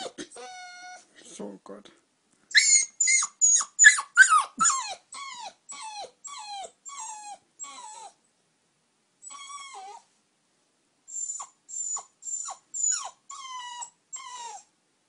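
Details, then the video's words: An eight-week-old puppy indoors, wanting to sleep in the bed, gives a run of high, thin whines and yelps, many sliding downward, repeated in quick bursts with short pauses, then softer whimpers; faint music in the background. "Sleep in bed! plz ?!"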